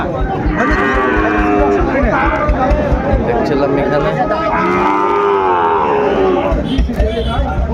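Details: At Ambari market in Dinajpur, Bangladesh, on 23 February, as trading in Sahiwal bull calves begins, two drawn-out moaning moos sound several seconds apart over steady crowd chatter and bargaining.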